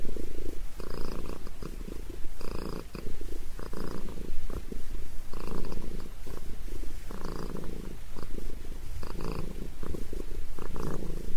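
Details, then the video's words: Sabrina the cat purring loudly while getting a head massage indoors, a deep rumbling purr in broad pulses with each breath, roughly one surge every second. "Famous Sabrina the Cat Loves a Head Massage!"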